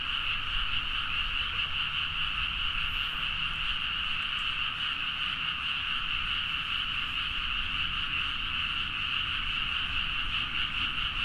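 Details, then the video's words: Frogs in full midnight chorus across rice fields at Nagaoka, Niigata, Japan, captured with a Zoom H4n: a sustained, bright, rapidly pulsing blend of countless croaks, steady in loudness throughout. "The frog sound at mid night (環境,自然音 -深夜のカエル大合唱-)"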